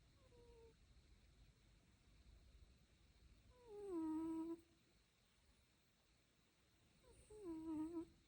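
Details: Lucio the dog snoring indoors in a small room: two whistling, nasal tones a few seconds apart, each sliding downward in pitch with a faint buzzy edge, over a low steady room hum.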